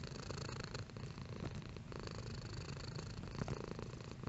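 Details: A cat purring at varying intensity: a deep, throbbing low rumble that swells and eases with each breath, steady and unbroken throughout.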